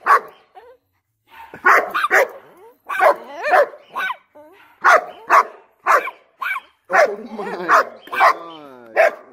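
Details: Excited German Shepherd with puppies: irregular bursts of barks, whines and higher yelps, plus a person talking in between.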